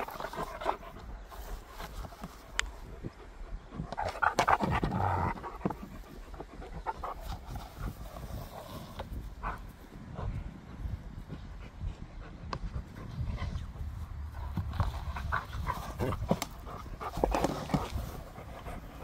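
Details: Close recording of a pet dog eating and playing: fast, rough panting at about three breaths per second, swelling louder in two stretches, with soft snuffles and small knocks.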